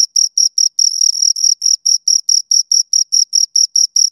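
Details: Crickets, two of them, recorded right at the ear: a steady, shrill chirping, short ringing pulses repeated roughly five times a second with only a brief run of continuous trill; nothing else audible.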